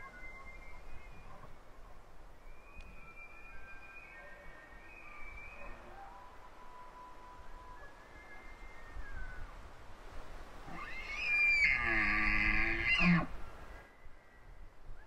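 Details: Several elk bugling: faint, high whistled bugles carry from a distance, then at about eleven seconds a close, loud bugle bursts out as a harsh, rich scream lasting about two seconds and ends in a low grunt.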